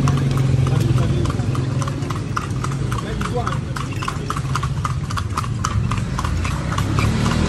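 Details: Horse ridden through the streets of Vigan, Philippines: crisp clip-clop hoofbeats repeating roughly three and a half times a second, with low engine rumble and quiet talking underneath.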